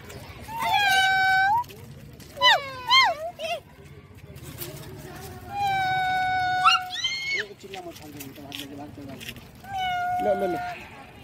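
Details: Street cat found in an apartment building in India, calm and staring; several drawn-out, harmonic meows, some rising and then falling in pitch, spaced a few seconds apart, over low background hum.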